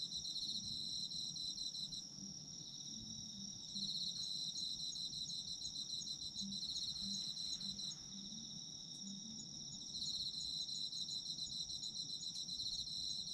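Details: Nighttime-style chorus of autumn insects for sleep listening: steady high trilling plus rhythmic chirp bursts returning roughly every four to six seconds, light low rumble in the background.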